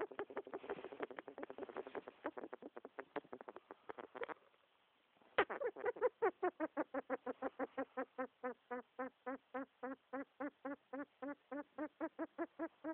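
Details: Pet rat making what its owner calls creepy noises: rapid, nasal, harmonic squeaky grunts repeated several times a second, a brief pause, then a steadier series of evenly spaced, slightly lower grunting squeaks.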